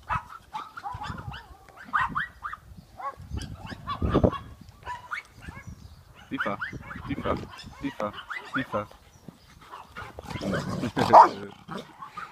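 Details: Mother and daughter dogs, Boerboel x American Staffordshire and Boerboel x American Staffordshire x XL American Bully crosses, playing and fighting: bursts of rough, noisy growling and snarling, with a man's voice calling commands between them.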